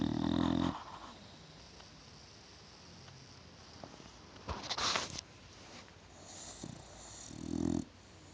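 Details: English Bulldog. Heavy, guttural snores from an English Bulldog come in slow, rattling breaths spaced several seconds apart. Quieter wheezy breathing and a brief rustle fill the gaps between them.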